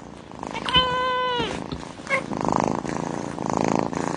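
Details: A pet cat gives one drawn-out, even-pitched meow that ends with a slight downward slide. A short squeak follows, then a steady low rumbling and thudding noise fills the rest.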